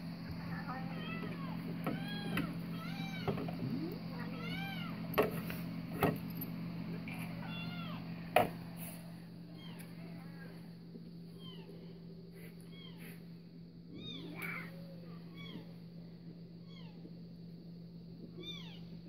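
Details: Domestic cat named Louis reacting to cat videos; repeated short rising-falling meows, many overlapping in quick runs, over a steady low electrical hum with a few sharp knocks and faint voices.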